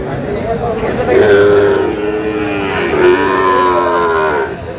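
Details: Two long, level moos, about two seconds apart, come from Sahiwal bull calves brought from Munshiganj. Men talk and call out nearby.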